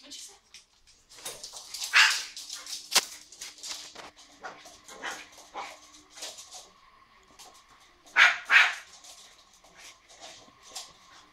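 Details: Young border terrier playing at catching bubbles: scattered rough, breathy barks and quick snaps, with a louder pair of sharper barks near the end amid rustling movement.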